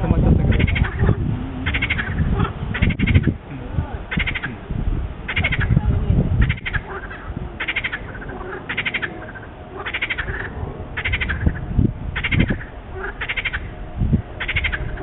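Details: Chorus of small wetland centre frogs: roughly thirteen short, rattling croak bursts spaced a second or so apart, with steady low-pitched background noise throughout.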